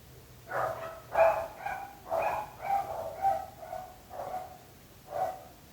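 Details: Barking dogs that trouble the neighbours: a steady run of about eight loud, harmonic barks spaced roughly half a second to a second apart, with no other clear sounds.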